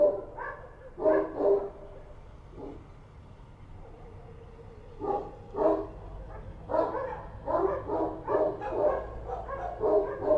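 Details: Kochi dogs roaming Kabul streets at night bark in scattered pairs early on, then break into a sustained run of loud, overlapping barks over the final half.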